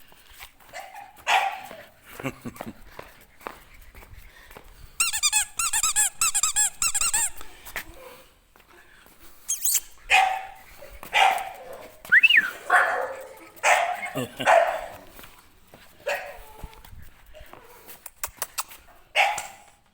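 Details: English Bulldog puppies at a breeding kennel; high squeaky whines and yelps in irregular bursts, including a fast chattering run of squeaks, with pauses between loud clusters.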